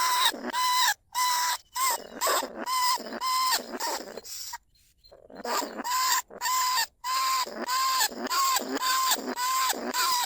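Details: Lesser bandicoot rat, a rice-field pest, recorded live at Na Lao, Nong Khu Phai, Thailand, as a lure to call rats into cage traps. Harsh, noisy squeals with a steady tonal core repeat almost twice a second, with brief gaps between them.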